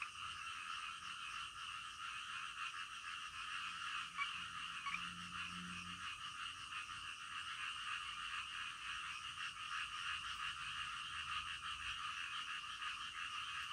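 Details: Frogs calling in the middle of the night, a dense continuous chorus of overlapping croaks forming a steady band of sound, with no single caller standing out.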